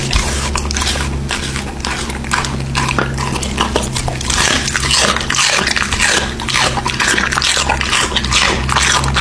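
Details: An American Bully bites and chews raw meat in quick, crunching strokes about twice a second, over a steady low hum.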